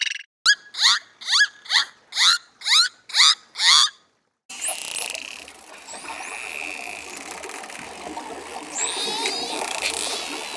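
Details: Dolphin chatter: eight loud, rapid squealing bursts with falling whistled sweeps repeat about every half second, then a pause, followed by a noisier stretch of thin rising and looping whistles over steady hiss.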